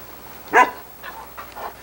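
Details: Irish Setter named Sunny, a female who likes to talk, recorded in 1987 on VHS with her father Ed. A single sharp, short vocal burst is followed by two fainter, softer yips over low hum.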